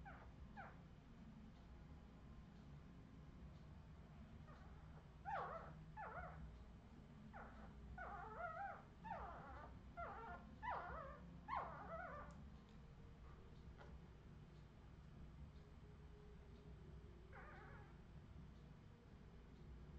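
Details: Redwing Australian Terrier puppies, 2018, break into a burst of rapid, rough yips and squeals clustered mid-recording, then fall quiet apart from one later cry, over steady low hum.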